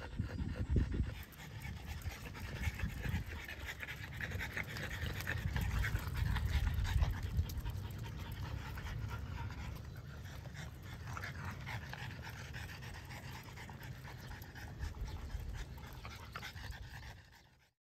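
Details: French Bulldog mother and offspring panting during a walk at Miharu Dam, Japan: fast rhythmic breaths, roughly three per second, strongest early, easing toward the end before fading out.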